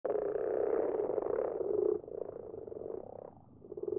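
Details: Common frogs in a garden pond at night, their numbers growing each year; a dense chorus of low, purring croaks overlapping continuously, louder in the first two seconds, then softer and more broken.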